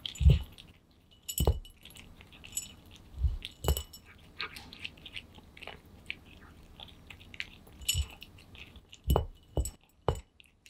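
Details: Pet cat Aman eating kibble hungrily indoors, captured up close: scattered crunchy bites and clinks at uneven intervals, some in quick pairs, separated by near-silent pauses.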